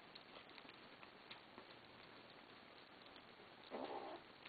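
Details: Kittens growling at each other while eating after begging for food: a single short, rough burst near the end, set against steady ticking and pattering from the eating.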